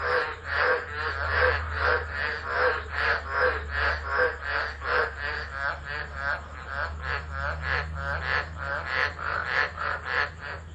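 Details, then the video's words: Tropical frogs calling during a tropical low storm at Driver, Northern Territory, Australia, on 13 December 2013, recorded on a phone left on the ground: a dense chorus of loud rasping pulses, roughly two to three per second, over a steady low rumble. "Tropical Storm Frogs Singing"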